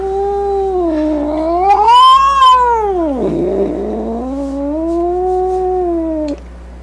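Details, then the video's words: Grumpy cat letting out a loud, continuous wailing yowl that climbs, dips sharply around the midpoint with a rough growly edge, then rises again and holds steady before stopping abruptly. "Cat Sounds | Cat Meow Sounds, Snarling Sounds, Hissing Sounds | The Sounds a Cat Makes"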